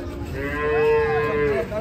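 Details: Bull or cow unloaded from a truck produces a clear, drawn-out, steady moo, rich in harmonics, swelling then fading over under two seconds.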